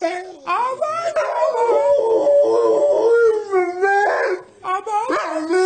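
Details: Talkative dog making wavering, howl-like vocal sounds that rise and fall in pitch, in drawn-out phrases with brief breaks, and a human voice partly overlapping.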